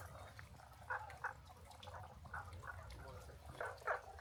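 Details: Frogs beside the Kibune–Kurama forest trail in Kyoto, Japan, on 6 May 2024, give short, bright chirping calls in irregular bursts over a low rumble of wind.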